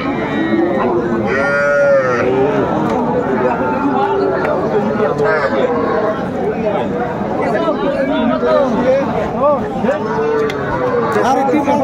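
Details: Young bulls and heifer calves at a livestock market where a Faridpur farmer is buying, 4 September 2024: several overlapping rising-and-falling moos from many calves, amid constant bargaining voices and crowd chatter.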